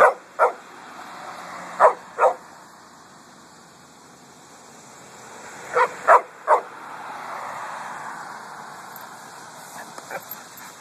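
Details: Coffey, a pet dog on a hot August cemetery walk, barking at passing cars and trucks: clipped barks in pairs and a triple, then a car swishing past and a few faint yips at the end.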